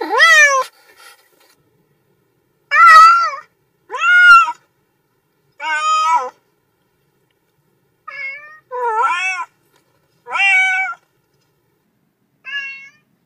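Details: Cats meowing in a quiet room: a series of about eight varied meows, some short and chirpy, others longer with a rise and fall, separated by brief silences.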